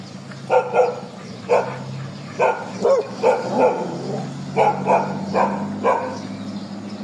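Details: Street dogs in Thailand during a morning walk bark repeatedly, short sharp barks often in pairs, about ten over seven seconds, with a steady low hum beneath.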